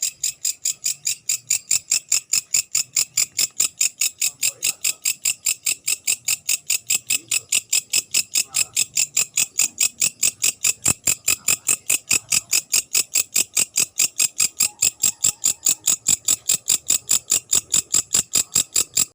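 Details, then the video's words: Night grasshopper calling after dark: a steady train of sharp, high-pitched clicking pulses, about two or three each second, evenly spaced and unbroken throughout, with no other clear sounds. "Suara belalang malam"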